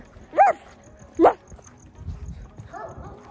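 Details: A big dog barking in the distance outdoors on a cold fall evening, thought by listeners to sound like a German shepherd; two short, rising barks about a second apart, followed by faint voices.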